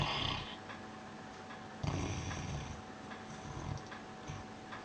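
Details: Piran, a pet dog snoozing on his bed in May 2013, snores in soft, breathy rasps, with a louder burst near the middle and weaker ones after it, over a steady indoor hum.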